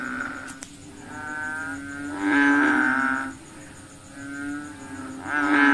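Frogs calling at night, a low steady drone broken by louder, nasal croaking swells.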